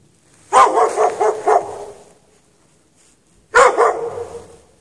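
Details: Dog chained outside in the snow at night with no shelter, recorded 3 March 2014: two loud bouts of rapid barking, the first a run of four or five barks, the second beginning three seconds later, with quiet between.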